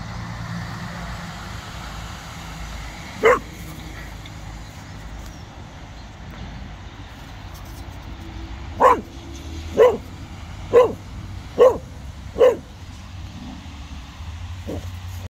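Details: In a park, Cocker Spaniel Casper freaks out at a very small snowman with his tail wagging: one lone bark, a long pause, then a quick series of five sharp barks and a softer final one, over constant background rumble.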